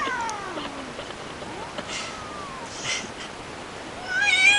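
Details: Female pet cat making noises while being given prescription medicine from the vet: a descending plaintive meow at the start, a long wavering mid-pitched moan, then a louder strained rising cry at the end, against steady room hiss.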